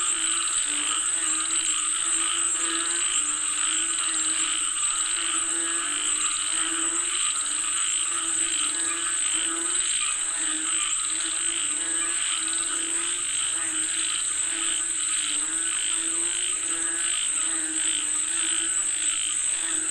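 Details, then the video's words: Chorus of frogs said to be calling for rain: dense overlapping croaks in rapid pulsed bursts, repeated steadily throughout, over a constant high-pitched insect whine. "Listen to the Sound of Frogs Calling For Rain 🌧️🐸 เสียงกบเรียกฝนตก"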